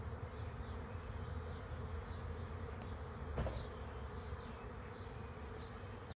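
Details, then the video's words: Swarming bees at a swarm trap give a constant, deep buzzing hum, briefly swelling midway, with faint, high bird calls in the distance before an abrupt stop. "Bee Swarm Arrives at Swarm Trap"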